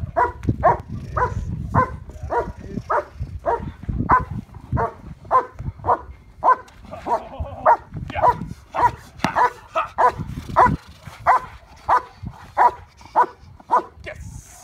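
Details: Trial preparation for Schutzhund IPO: a German Shepherd named Yukon vom Patiala barks at a decoy in protection work, a long steady run of about twenty-five loud barks roughly every half second, with faint voices and thumping in the background.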